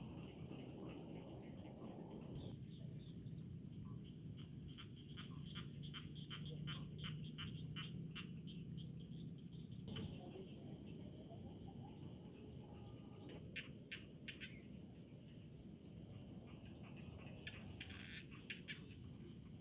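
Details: Crickets in rice fields give high, pulsed chirping trills that drop out for a few moments and then resume in uneven bursts, with a quieter background hum and scattered ticking.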